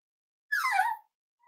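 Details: A single half-second whine from an almost eight-week-old Cavalier King Charles Spaniel puppy indoors, sliding steadily downward in pitch, followed by silence and the faint start of another sound.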